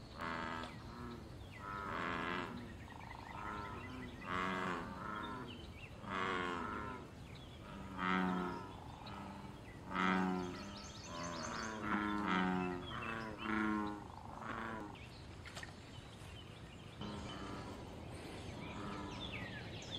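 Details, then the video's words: A chorus of wild American bullfrogs in pond water call for mating and territory. Deep, resonant, buzzing croaks overlap almost continuously for about fifteen seconds, then fade. Light bird chirps sound behind them. "Bull frog call loud sounds and fight"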